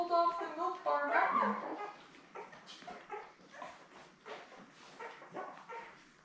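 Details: Newborn Labrador Retriever puppies, a litter of seven born May 24, 2021, with their mother Belle on a live puppy cam: loud harmonic whining squeals over the first two seconds, then softer scattered whimpers and squeaks.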